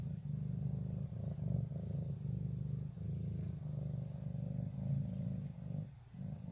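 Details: Low steady purring from a ginger pet cat up close, a rough rumbling drone that swells and fades with each breath, dipping near the end.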